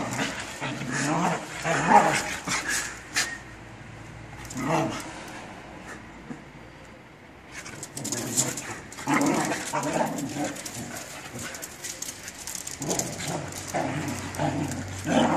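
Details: Fighting Australian Shepherds give rumbling growls and snarls in uneven bursts, with louder scuffling flare-ups near the start and again toward the end, and people talking over the commotion.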